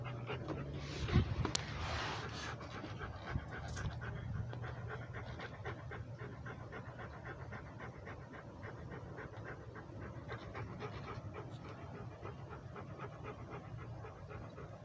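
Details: Rhodesian Ridgeback walking and breathing hard, rapid rhythmic panting close to the microphone, nearly four breaths per second, with a few louder knocks early on and faint low rumble beneath.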